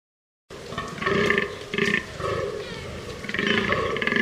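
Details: Fallow deer giving harsh, belch-like groans, a few rough bursts in quick succession after a brief silent start, each with a deep rasping throaty tone; no other clear sounds.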